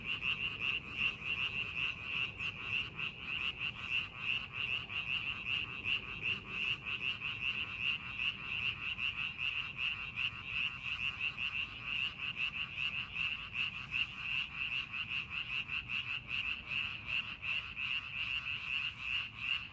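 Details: Frog chorus from rice fields readied for farming: continuous overlapping croaks form a steady high trill, pulsing a little over twice per second, with occasional sharper clicks standing out.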